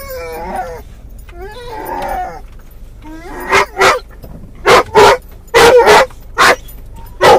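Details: Muzzled Doberman/collie cross dog in a car, calling for a lost toy; wavering whines at first, then a burst of sharp, loud yips and barks at irregular short intervals, with steady vehicle rumble beneath.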